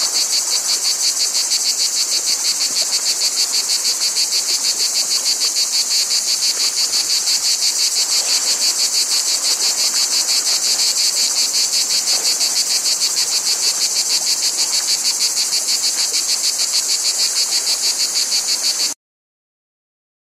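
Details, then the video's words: Cicadas keep up a long, unbroken, high buzzing throb with quick regular pulses for about nineteen seconds, then stop abruptly into silence. "Cicadas Noise"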